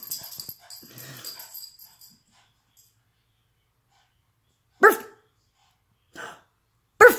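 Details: Jug dog, excited after its bath, with rustling and shaking noises early on, then three sharp barks near the end, the last two close together.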